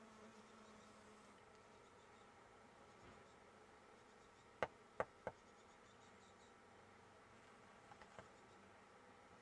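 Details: Close-up of honey bees gathering nectar at a flower: an even, low buzzing hum, stronger in the first second. Three sharp clicks fall between about four and five seconds, over faint high-pitched chirping in the background.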